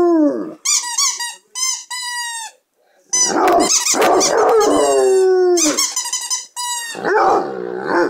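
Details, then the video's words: A two-year-old Basset Hound howls loudly in drawn-out, strongly harmonic notes. Several long wavering howls are broken by short gaps, with a rougher, throaty bark-like burst in the middle. "Baby I'm Howlin' for You! (The Noisy Basset.)"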